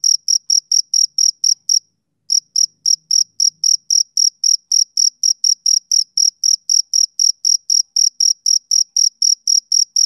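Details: A male cricket gives rhythmic, shrill chirps at about four per second, stopping briefly early on and then continuing in an unbroken, evenly spaced series.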